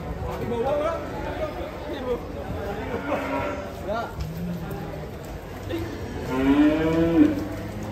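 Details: Cattle at a cattle contest in Karawang, Indonesia, being weighed: several drawn-out moos, the loudest near the end, amid people talking and crowd chatter.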